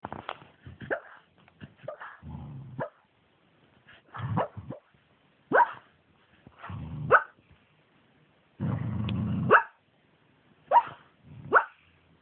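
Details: A pet dog dreaming during a mid-day nap, possibly of something unpleasant, making silly squeaky barking noises: short muffled woofs and high squeaks repeated in bursts, with soft low growly whines between them.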